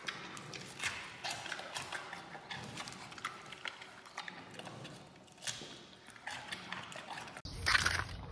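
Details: Bamboo shoots crunched by a giant panda: steady crackling bites and fibrous snaps run throughout, ending in a sudden louder rustling burst.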